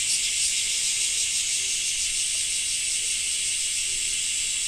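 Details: Cicadas of a rainy Japanese summer: a smooth, sustained high sizzling drone with slight shimmering wavers, loud from start to finish.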